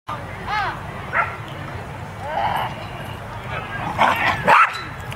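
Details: Darwin, a West Highland White Terrier, playing at Pooch Park in Fullerton, California; short bright barks and yips come in bursts, loudest near the end, while a person nearby talks to the dog.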